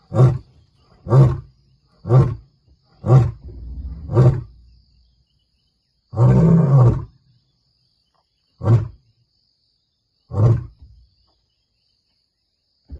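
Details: Territorial roaring from a male lion near a vehicle in Kruger, warning rival males of his return: a series of short, deep grunts at irregular spacing, one longer drawn-out roar in the middle, then two more grunts.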